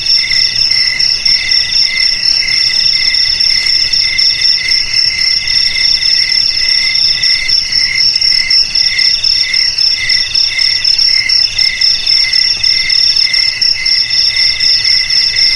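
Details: Cricket song, called jangkrik, used to keep rats out of houses, garages and rice fields: a long, steady, piercing trill with rhythmic lower pulses beating on evenly, a thick insect chorus and nothing else audible.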